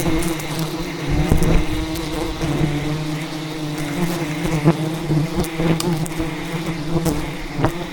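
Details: A relentless defensive swarm from a giant wild rainforest hive, raided by a traditional honey hunter, produces a constant deep hum layered with warbling higher buzz lines, punctuated by brief knocks and rustling.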